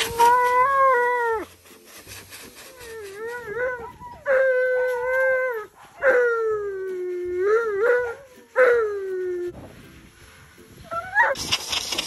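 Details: Male Alaskan Malamute in a bathtub, crying while being rinsed during his coat blowout as a husky comforts him. Long wavering whining howls rise and fall in about five drawn-out bouts separated by short pauses, with a brief splash of water at the end.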